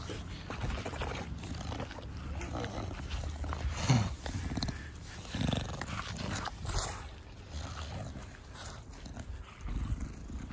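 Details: Bulldog Da Vinci, a pet short-nosed dog, cuddling in a home garden; low grunting, snuffling breaths come in short bursts over a steady rumbling background, with a few brief higher noises.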